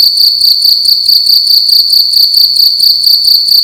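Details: Cricket chirping loudly at night in a room: a high, metallic, continuous trill with quick regular pulses, about two or three per second, in otherwise quiet surroundings.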